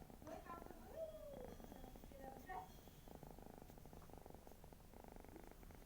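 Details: Pet cat snoring indoors: a steady, fast-pulsed low rumble running throughout, with a person's voice heard over the first three seconds.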